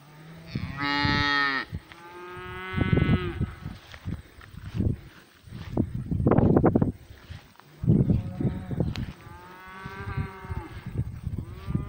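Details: Several cows mooing in a pasture: a loud bright moo at the start, another lower one, then bursts of handling noise and a final wavering moo near the end.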